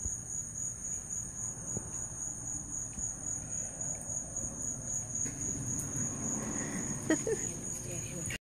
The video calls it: The sound of crickets.